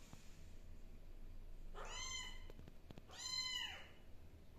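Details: Kittens settling into a new environment indoors, two plaintive meows about a second and a half apart, each rising then falling in pitch, with faint soft knocks between them.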